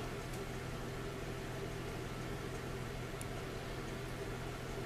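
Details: Steady low mechanical hum with broadband hiss, like an idling engine or appliance, with a few faint clicks and no animal voice.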